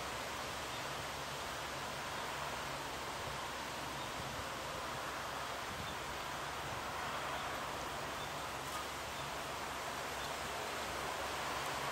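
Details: Steady broadband hiss like rustling leaves or distant rushing water fills the recording, with no clear bird or other animal call.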